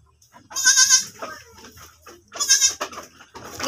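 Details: Goat bleating around the time one of the farm's goats gave birth again: two strong, nasal, shaky bleats about two seconds apart, each roughly half a second long, with rustling and faint background noise between them.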